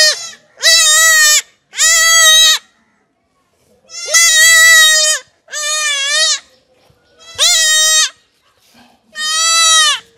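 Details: Month-old goat kid bleating during castration: six loud, wavering, harmonic cries, each about a second long, separated by short silences.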